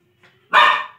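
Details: A Lhasa Apso barking while playing: one sharp, loud bark after a faint short lead-in sound.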